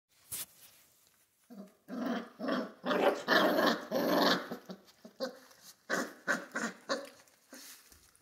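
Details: Central Asian Shepherd puppies in Michigan growling over a raw venison neck: a run of short, rough, throaty growl bursts, irregular and overlapping, rising in intensity midway, then tapering into softer broken grumbles.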